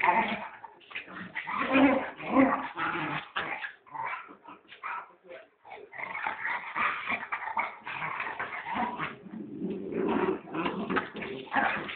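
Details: Puppy giving a busy run of high yips and whimpering cries with brief pauses, human voices talking over much of it throughout.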